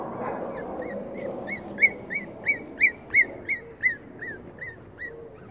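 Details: Five-week-old black Cavalier King Charles Spaniel puppies give high, arched whimpers, repeated about three times a second.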